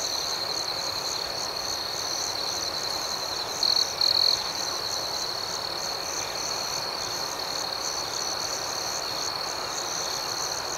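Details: Crickets chirp through the night, a dense unbroken high whine with soft pulsing accents and one brief louder flourish near the middle, set against a faint hiss.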